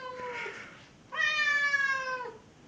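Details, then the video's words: A Chechen cat makes two meows: a softer falling one, then a louder, longer harmonic wail held for over a second before dropping away; indoors, otherwise quiet. "Do not Mess with the Chechen cat"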